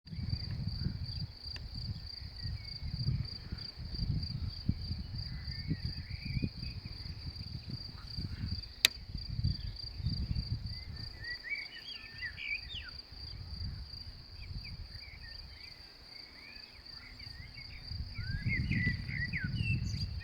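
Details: Grasshoppers chirping in a meadow in May: a steady, unbroken high-pitched shrill runs throughout, with scattered bird chirps above and gusty low wind rumble.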